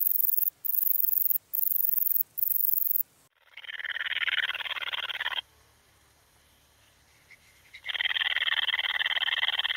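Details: Bicolour meadow bush-cricket at Breitenbrunn, Austria, 13 July 2020. Short high hissing bursts at first, then a lower, rasping buzz that runs for about two seconds, drops to near silence, and resumes, faint low rumble underneath.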